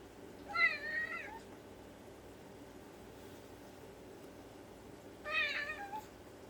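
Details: Ragdoll cat indoors in the morning, meowing to ask for a storeroom door to be opened; two short, clear, slightly rising meows about four and a half seconds apart over a quiet room hum.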